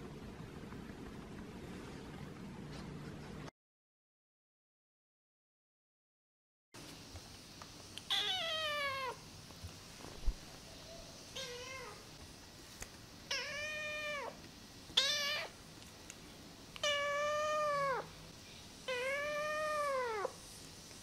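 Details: Namba, a rescued one-eyed feral kitten, meowing indoors during its first week after rescue; after a brief silence, a run of clear, high, arched meows repeats every one to two seconds, growing louder and more insistent.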